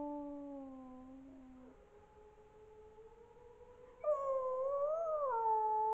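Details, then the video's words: Wolves howling at midnight: a long, low, smooth howl slowly drops, then a second, louder and higher voice joins, wavering upward and falling back. No other sounds. "Wilk wyje o północy"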